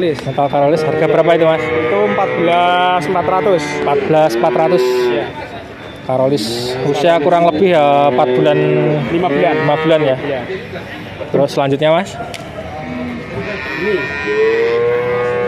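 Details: Bull calves penned at a market in Grabag, Magelang, nineteen sold together, calling in a dense chorus of wavering moos, short and long, rising and falling, with conversation and market bustle running through it.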